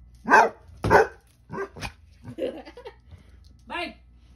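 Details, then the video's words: Basset Hounds barking and talking back indoors: two loud harsh barks, then softer grumbling, whining vocal sounds and a final drawn-out moaning howl-like note. "Basset hounds barking and talking back."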